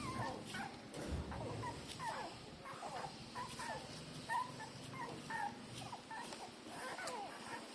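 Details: Three-day-old newborn puppies nursing from their mother give high, thin squeaky whimpers, short rising and falling squeals repeated irregularly throughout, over a low rumbling background.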